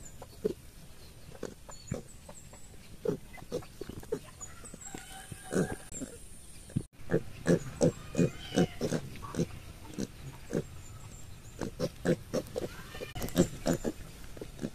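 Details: Piglets in a village give short, rapid grunts and occasional squeals, with several calls overlapping in quick succession.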